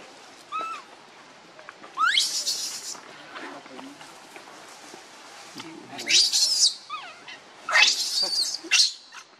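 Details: Young monkey separated from its mother gives a short whistled coo, then three long, piercing screech bursts with rising onsets, spaced a few seconds apart, with low murmuring between.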